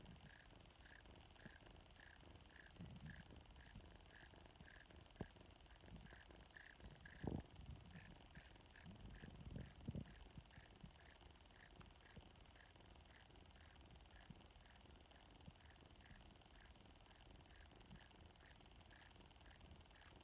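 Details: Purring from a severely malnourished female foster kitten, a low continuous rumble pulsing in regular beats about twice a second, with a few brief handling rustles.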